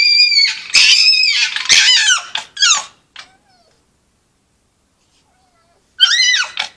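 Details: Several foxes at Polegate screaming and chattering together: loud, high, tonal squeals with bright harmonics, many falling in pitch at the end, given in a fast cluster, then a pause before one more rising-falling scream.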